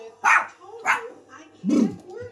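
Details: Jack Russell Terrier in the UK barking during play, three sharp yapping barks spaced about half a second and one second apart, the last lower and rougher.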